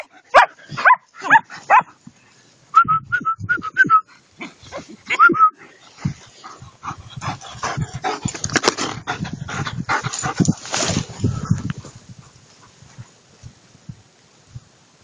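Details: German Shepherds in the woods after tracking training: a few sharp, abrupt barks in the opening seconds, then a short run of thin high whines, giving way to rustling movement and scuffling through undergrowth.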